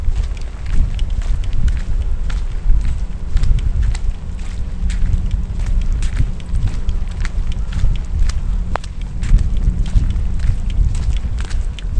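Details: Heavy rain and gusting wind as a typhoon approaches, with scattered clicks and thumps over a constant low roar; no animal voices can be picked out.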